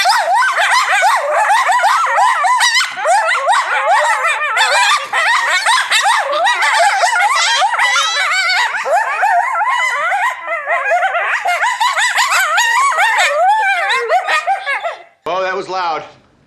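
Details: A group of coyotes at the Alaska Zoo in Anchorage, Alaska howls in a loud chorus of wavering, yipping, overlapping voices.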